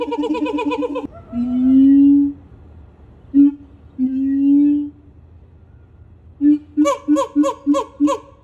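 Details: A siamang howls while leaping, with long, swelling booming notes and then a burst of rapid, harsh barks; the calls carry over long distances.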